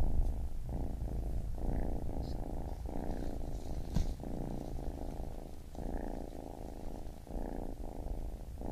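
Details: A baby kitten purrs, a low buzzing rumble pulsing in short inhale and exhale phases under a second apart, with one brief click.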